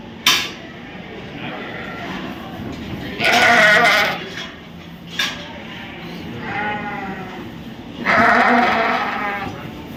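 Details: At the 2023 Royal Winter Fair in Toronto, Canada, sheep give two strong quavering bleats and a fainter one between them, with sharp clicks and a low indoor crowd hum.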